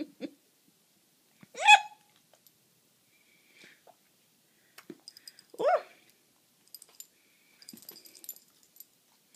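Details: A four-year-old female Boston Terrier, a rescue from Saint Peters, Missouri, repeatedly snaps at a fly with her mouth. Two short, loud, harmonic huffs about four seconds apart, with faint clicks, rustles and breaths between.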